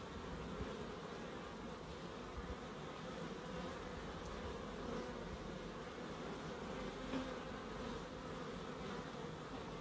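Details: Steady bee buzzing in a small nature-friendly garden in Crookes, a low, dense, even drone without gaps, with faint brief ticks now and then.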